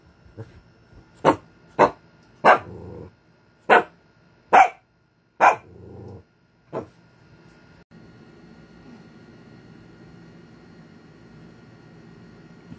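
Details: Lemon, an angry Shih Tzu dog, gives a burst of about seven sharp barks over six seconds, some trailing into low rumbling growls, then falls quiet against a faint steady background hum.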